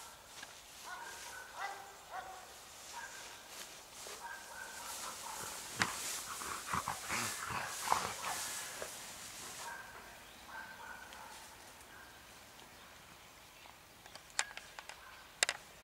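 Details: Maremma sheepdog giving repeated high, tonal whining notes in short bursts, fading and returning through the recording, with a stretch of rustling noise in the middle and a few sharp clicks near the end.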